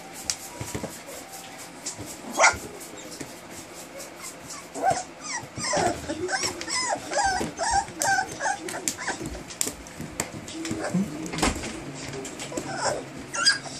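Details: Standard Poodle puppies from Josephine's litter, born 5 August 2014, 23 days old, recorded 27 August 2014 at a poodle breeder: a run of high, arched, squeaky whimpers in quick succession mid-clip, with scattered clicks and rustling.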